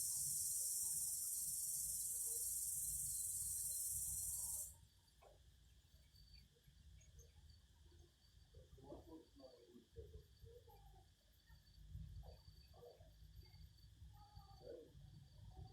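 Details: Singing cicadas: a loud, steady, high-pitched buzzing drone that runs for almost five seconds and then cuts off abruptly, leaving a quiet low rumble of background noise.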